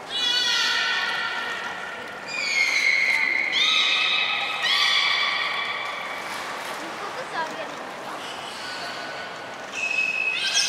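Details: Hodoi the beluga at Port of Nagoya Public Aquarium, 6 January 2019, in training for gastric fluid collection and blood sampling; a run of sustained harmonic tones, several stepping or rising in pitch, following one another with short pauses in a reverberant space.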